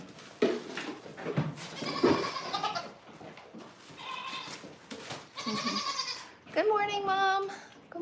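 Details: Farm goat in the morning, a doe due for milking with kids about; a woman talks over rustling for most of the stretch, then a loud, quavering bleat rings out near the end.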